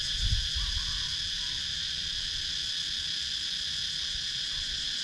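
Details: A wall of cicada sound from wooded rural Sakon Nakhon, Thailand: bright, sustained, high buzzing layered in several bands, steady throughout. A brief low rumble is heard at the very start. Action camera recording.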